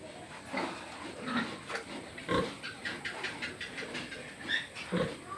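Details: Pig giving a short series of rough, snorting grunts with a few brief higher squeaky notes, irregularly spaced over about five seconds, against a steady background hiss.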